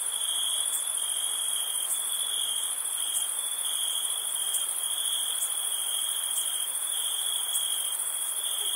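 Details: Crickets on a summer night at a campsite, a dense unbroken high trill that holds two steady bright pitches throughout, with faint pulsing in the upper band and no other clear sounds.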